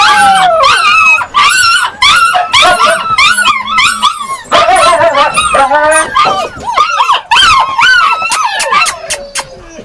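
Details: Yakutian Laika dogs calling in bursts of sharp yelps mixed with longer wavering howls. Repeated arched notes arrive every second or so, several dogs overlapping, with short pauses between bursts.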